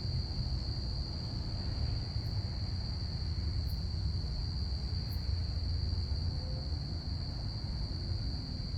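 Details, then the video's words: Crickets chirping on a Saturday night, a steady unbroken high trill held at one pitch throughout, over a constant low rumble with a few faint clicks. "crickets chirping"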